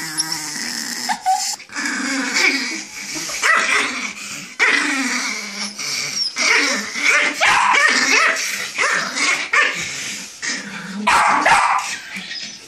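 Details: Angry chihuahua snarling nonstop, harsh buzzy growls broken by quick high yips and barks, the outbursts coming in ragged bursts every second or so across the whole stretch.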